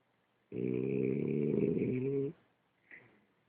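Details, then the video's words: French Bulldog Ulises gives one drawn-out snore of nearly two seconds, a harsh, vibrating rasp, followed by a short soft exhale. "Bulldog frances ulises roncando"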